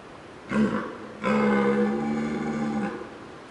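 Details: Young red deer stag in New Zealand, approaching to check out the recordist: a short grunting burst, then a longer moaning roar with a steady low tone lasting about one and a half seconds, over faint background noise.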